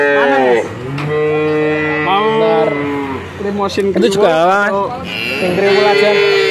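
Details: Bull calves at market in Grabag, Magelang, Indonesia, where a buyer took nineteen head. Long, drawn-out moos, each lasting one to two seconds, with a wavering mid-clip call and another sustained low bellow at the close.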